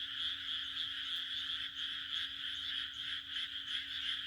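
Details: On a June night in the Japanese countryside, a dense chorus of frogs croaks together in a bright, rattling, continuous wash.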